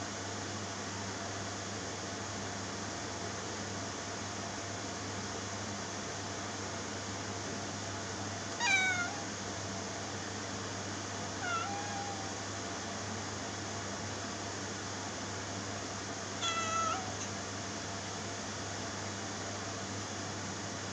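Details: Three short, faint cat meows spaced a few seconds apart within a constant background hum, each a quick upward-then-falling cry.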